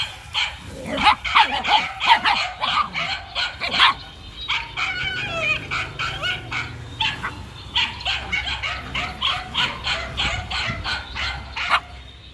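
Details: Male dog running about, answering to the name Hiên, barks in quick irregular volleys with sharp, clipped notes, pausing briefly in the middle before resuming a steady string of yapping.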